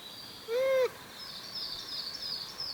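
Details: Wild Japanese macaque apparently communicating with companions: a single short, clear arched coo with strong overtones, rising then falling slightly, followed by a steady high buzzing and chirring from insects or birds in the background.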